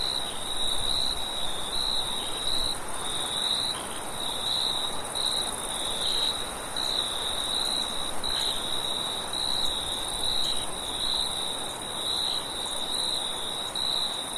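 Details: A night chorus of crickets keeps up a continuous high trill in quick regular pulses, with a fainter, even higher shimmer above and a steady low rush of wind beneath.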